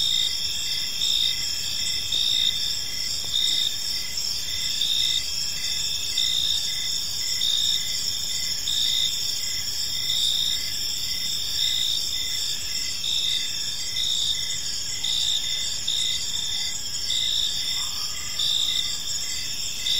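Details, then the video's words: Crickets chirping in a park in the evening, a steady high-pitched chorus of pulsed trills layered over one another, with soft background noise and a brief faint lower tone near the end. "Park Serenade: Cricket Sounds in a Peaceful Park | Evening Ambience"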